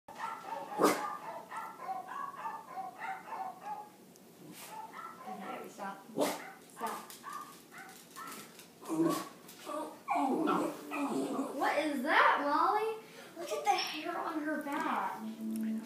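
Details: A 4-year-old female Jack Russell–Chihuahua mix gives sharp, high barks and whimpers at a dog in Wii music while people talk nearby.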